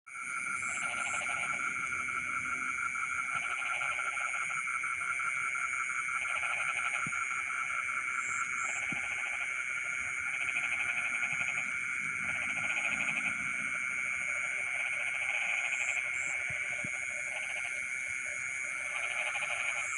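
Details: Frogs singing in rice fields in the middle of the night: bursts of rapid pulsed croaking recur every few seconds over a dense, steady insect drone, with paired high chirps now and then.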